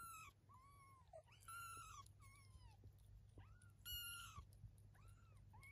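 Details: Kittens 23 days old with their mother Eve, a domestic cat, indoors: a busy run of high, wavering mews, several overlapping, each arching up and down with rich harmonics, over a constant low hum.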